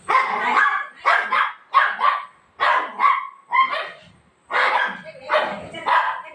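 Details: Pet golden retriever playing with mom before bedtime at night, giving a steady series of loud, clipped barks, often doubled, about one to two per second with a short gap partway through.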